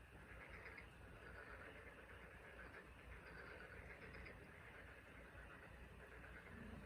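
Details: Frog chorus on the Taean Peninsula: a dense, steady, pulsing trill of many overlapping callers, with no clear gaps and a faint low rumble beneath.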